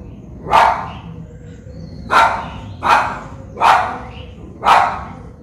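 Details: Japanese Spitz barking in Colombo, Sri Lanka, recorded with a Nikon COOLPIX P1000: one sharp bark, a pause of over a second, then four more loud barks in quick succession, about one every second.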